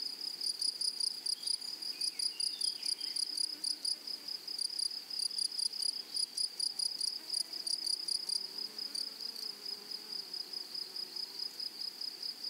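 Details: Grasshoppers in a flowery meadow: a steady, high, shrill buzz pulsing in rapid regular bursts, with a fainter, even higher hiss layered above, over quiet low background.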